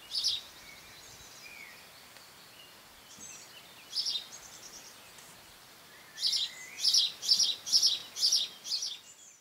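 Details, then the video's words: Longhorn beetles, Cerambyx scopolii, squeaking in June 2015: dry, high, scratchy pulses, sparse at first, then a run of about seven evenly spaced rasping squeaks near the end, with faint bird chirps in the background. "Longhorn beetles (Cerambycidae - Cerambyx scopolii) 'squeaking'"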